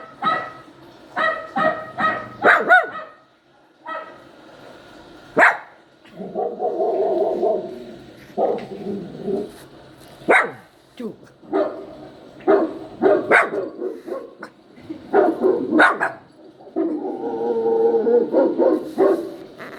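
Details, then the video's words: Poodle puppy crying and yowling: quick strings of sharp yelps mixed with longer drawn-out whining cries, in irregular bouts across twenty seconds. "poodle listening to the crying sound of the puppy | yowling sound of puppy"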